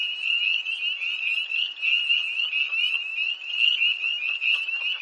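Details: Night chorus of early tree frogs at a pond near Hillsborough, North Carolina, on 1 March 2011: a crowded wall of high, piercing peeps, swelling and dipping slightly in loudness, clean of other noise.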